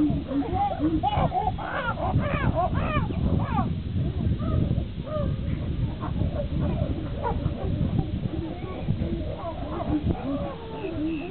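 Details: Upset Higgy fights with Juniper while the other chimpanzees chime in: a dense chorus of short, sharply rising and falling screams and hoots overlaps throughout, above a steady low rumble.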